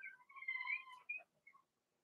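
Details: Blenheim Cavalier King Charles Spaniel puppies, from Remy's first litter of six, in an indoor puppy pen during potty training; a thin, high, wavering whine slides up and down, then two short squeaks follow.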